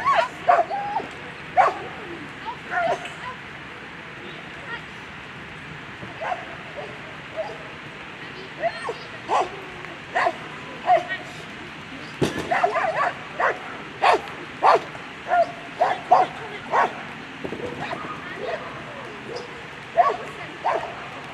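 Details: German Shepherd Marie zur Krombach barking through a World Championship agility run in the A3 Sunday round: sharp, irregular barks and yips, often several in quick bursts, over a murmuring crowd and background voices.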